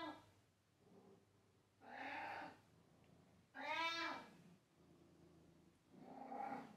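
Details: Pet cat meowing loudly indoors: three drawn-out harmonic meows, each under a second, the middle one brighter and rising then falling, separated by about two-second gaps with a faint low hum between.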